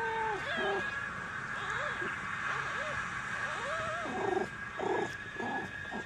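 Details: Maine Coon kittens at a single-breed cattery in Saint Petersburg, Russia, giving a run of high, arched mews, each rising then falling, repeated roughly every half second and growing denser and choppier toward the end over a steady background hum.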